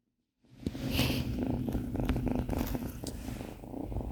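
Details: Tonkinese kitten Binwoo purring close to the microphone on her first day in a new home: a loud, throbbing low purr that starts abruptly, mixed with crackling rustles of fur and handling.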